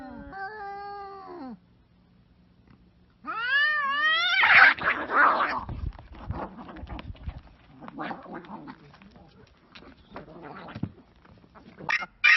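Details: Pet cats moving from meowing to a violent fight: a drawn-out moaning yowl, a pause, then a climbing, rippling yowl bursting into loud raspy screeches, followed by scattered scuffling, hissing spits and a final sharp shriek.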